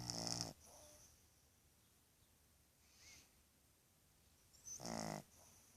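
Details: A snoring Boston terrier puppy aged two and a half months. A short harsh snore opens the recording, a faint breath follows mid-way, and a second rasping snore comes near the end.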